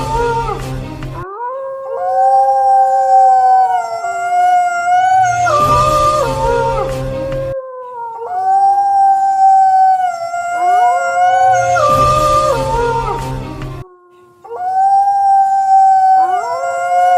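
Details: A pack of wolves howling together: long, layered, sustained howls at different pitches, some deep and some high, overlapping in harmony, with the same chorus cycle repeating roughly every six seconds.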